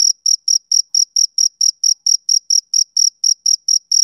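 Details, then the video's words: Short burst of a male cricket's sharp, high chirps, each a brief pulse, spaced evenly at around four per second against silence. "Cricket Chirping Sound Effect"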